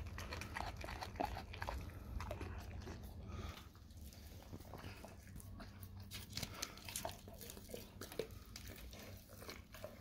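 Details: Dog eating raw cow tongue, indoors in a small room: wet, irregular crunching and biting bursts about twice a second over a steady low hum.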